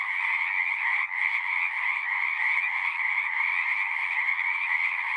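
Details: Frogs calling at a pond in a horse pasture, recorded with a Zoom 6: a dense, unbroken chorus of high trilling voices forming a steady shimmering wall of sound, with a brief dip just after the first second.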